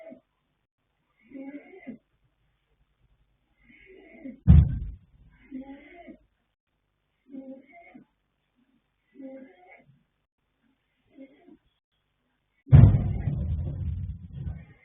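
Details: Male foal Yanta, born 21 January 2026 to sire Fast Force and dam Pink Blossom, snoring while asleep: soft, rough, breathy snores repeat roughly every two seconds, with two sudden loud thumping bursts of movement in between.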